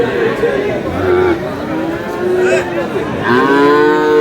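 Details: Sahiwal bull at a Bangladeshi cattle market where a Kurigram farmer buys it on 5 May, giving a rising, harmonic moo near the end amid steady chatter and bargaining voices of a crowd.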